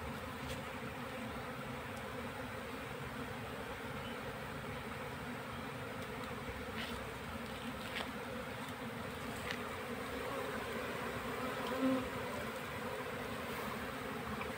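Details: Many honey bees buzzing as their colony is caught into a hive box: a sustained, even, low drone with occasional soft taps and clicks.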